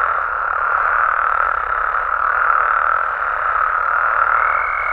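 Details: Nighttime amphibians in Mexico's natural habitats: a thick, even frog chorus of many overlapping croaks, nearly uniform throughout, with a faint high steady tone creeping in at the very end.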